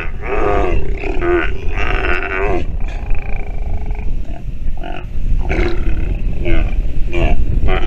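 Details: Nursing sea lion pup giving a run of short, hoarse, bleating calls, some wavering and some clipped, with brief pauses between them, set against constant low-pitched background rumble.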